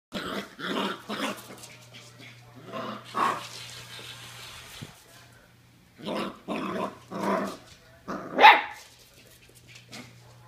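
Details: Norwich Terrier named Olive meeting a Nerf Missile Battery robot for the first time, giving a run of short harsh barks and growls in bursts, with a steady low mechanical hum from the robot beneath.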